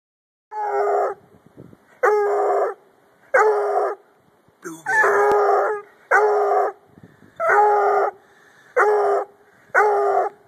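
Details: Bluetick Coonhound howling on cue: eight loud, rich baying notes, each about half a second long with strong overtones, repeated at a steady pace about every 1.3 seconds, with near silence between them.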